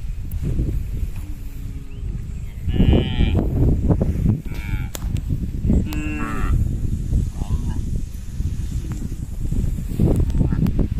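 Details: Cattle from a herd of hundreds, tame and herded, walking home over a small bridge toward their pen. Several short, harmonic moos, some overlapping, over a steady low rumble of trampling hooves.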